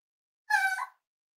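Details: Cavalier King Charles Spaniel puppy, almost eight weeks old, in a home litter: one brief, steady, nasal whimper lasting under half a second, with a slight lift at the end, in an otherwise silent room.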